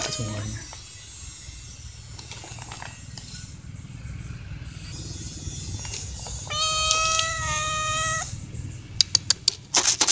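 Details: A stray cat begs for food from a feeder of strays. A single long, level meow rises out of steady hum and faint noise, then a few sharp clicks and taps end the clip.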